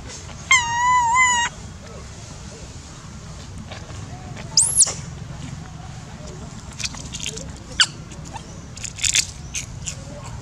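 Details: Baby monkey Dodo screaming loudly for food from people feeding it: a loud, wavering, strongly harmonic cry lasting about a second, later a single high arched shriek, then quieter clicks and taps against low background noise.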